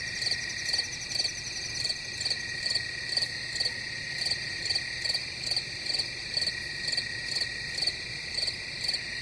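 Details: Crickets chirp in rapid regular bursts, roughly two per second, over a dense unbroken high-pitched drone from many insects, with a faint low hum.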